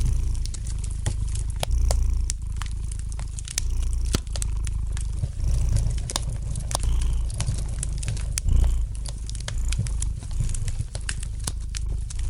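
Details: Gentle purring of a house cat by a crackling fire: a continuous deep vibrating rumble rising and falling in long breaths, overlaid by frequent snapping pops and light crackles from the fireplace.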